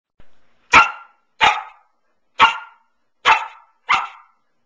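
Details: Pearl, a nine-month-old female Samoyed, barks on her beloved couch indoors: five sharp, bright barks spaced under a second apart, each with a quick decay, in a quiet room.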